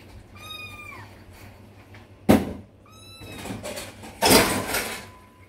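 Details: Kitten named Narang, who came to lie and sleep against its owner's feet during dishwashing indoors, gives two clear falling meows, a longer one then a short one, among loud clattering of dishes and cupboard sounds.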